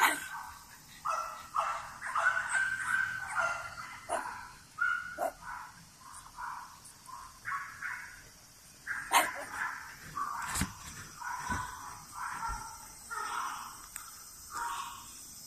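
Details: Continuous chorus of thin, squealing whimpers from French Bulldogs born on 21 and 23 June 2017, rising and falling notes following one another every second or so, a couple of sharp clicks, hiss underneath.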